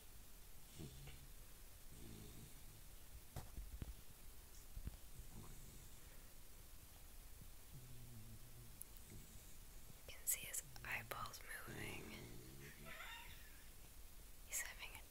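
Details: Corgi named Sir Archer asleep, giving steady low buzzy snores that repeat every second or two, with faint clicks and rustles in a quiet room.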